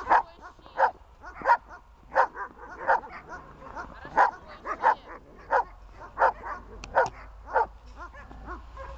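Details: Dog in protection training barking at a person: sharp mid-pitched barks repeated steadily, about one every two-thirds of a second, some paired with quick yips, in quiet surroundings.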